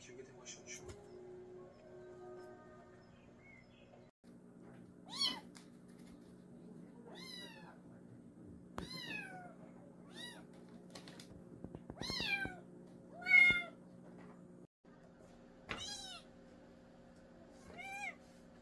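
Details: Domestic cat meowing, played to drive off rats in the countryside: after a quiet start with faint tonal background hum, about eight short, bright, arched meows come at uneven gaps of one to two seconds.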